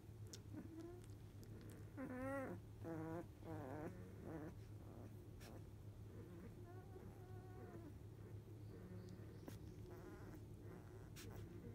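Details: Newborn Labrador Retriever puppies, field type, aged 14 days, one of eight in a litter, asleep after nursing; clear wavering whines cluster early, followed by fainter whimpers and soft squeaks over a constant low hum.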